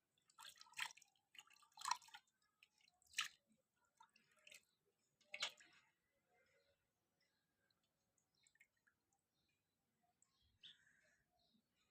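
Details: A few sharp, irregular dripping and tapping sounds in a small quiet room, with no animal calls.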